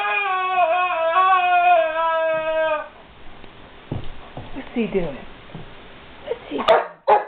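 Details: Guard dog whines over a squeaky toy: a drawn-out, high, wavering whine with layered overtones for about three seconds, then quieter rustling and faint murmurs, ending in a couple of sharp clicks.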